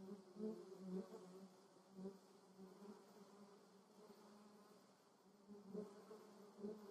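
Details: Western honey bees visiting lavender in the Moselle valley, Germany, hum steadily in flight, a low droning buzz that swells and fades as they pass close.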